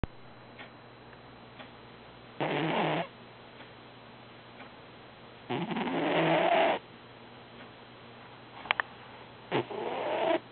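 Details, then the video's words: Domestic cat snoring during an active dream: three noisy, harmonic breath-like bursts, each under a second to over a second long and rising then falling in pitch, separated by quiet stretches of several seconds, with a low steady hum beneath. "snoring cat"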